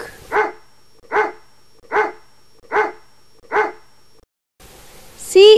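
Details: Dog barking: five short, sharp barks evenly spaced about 0.8 seconds apart. After a pause comes a high, bending tonal call that is not from the dog.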